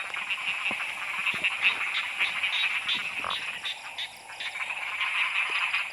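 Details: Frogs calling during heavy rain while being hunted by lamplight: a dense, continuous high-pitched chorus of overlapping trills and croaks, with scattered clicks and rustling in the background.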